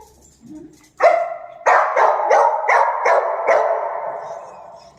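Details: A Dachshund gives five sharp, ringing barks spaced about half a second apart, each loud yap leaving a lingering tail that slowly fades; only quiet sounds come before the first bark.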